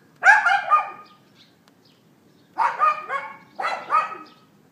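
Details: Loud yapping from a neighbour's dog, iPhone 4S recording from 11:31 AM on 18 April 2012: one drawn-out doubled bark, a pause, then two more stuttering barks in quick succession.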